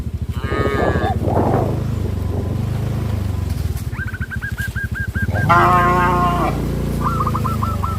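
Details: Cows on a traditional village farm running in fear into the forest: a steady low rumbling throb underlies two loud moos, one early and one louder later, with brief repeated chirping calls between them.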